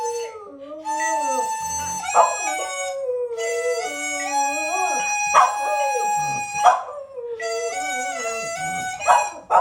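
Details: Schnauzer nicknamed the siren dog howling along while a wind instrument is played at home; long wavering howls that rise and fall in pitch, in three bouts, over steady sustained instrument notes.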